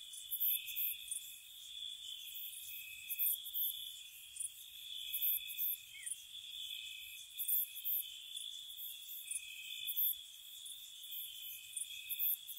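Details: Crickets chirping at night in spring around a cottage: steady high trills layered with bright pulsed chirps recurring every second or two, no other sounds.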